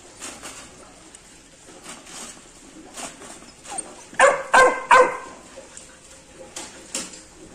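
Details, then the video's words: Labrador puppy reacting to a rat indoors, giving three short, high, yappy barks in quick succession midway, among faint rustling and clicking. "labrador puppy ka reaction with rat"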